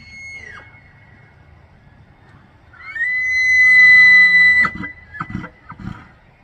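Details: Bull elk bugling during the September autumn rut in Banff, Alberta, Canada: a long, high, pure whistle held steady with a low growling undertone, ending abruptly in a few harsh grunting bursts; a faint earlier whistle fades out first.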